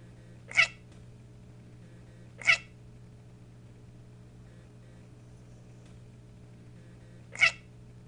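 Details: A pet cat that barks instead of meowing gives three short, abrupt, bark-like calls, two seconds apart and then after a five-second pause. A faint steady hum is in the background of a quiet indoor room.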